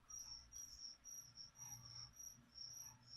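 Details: Feeder crickets prepared with vitamin powder for a leopard gecko keep up a high, shrill chirping, pulses repeating nearly twice a second, with a faint room hum and light rustling underneath.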